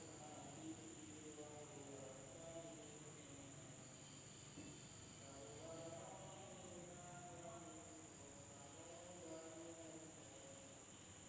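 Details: Insects calling at night in a village in Indonesia: a steady, unbroken high-pitched drone runs through the whole recording, with faint distant human voices murmuring underneath.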